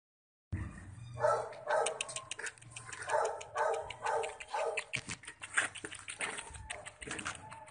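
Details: Poodle puppies giving short, high whimpering yips, several clustered bursts repeated roughly twice a second, uneven in rhythm, over a low indoor hum.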